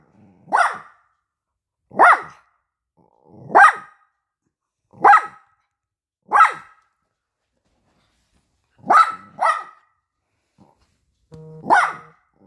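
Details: Young poodle, offended that its food is offered on paper, gives short, sharp yappy barks about every one and a half seconds, with a quick double bark near the end, in a quiet room.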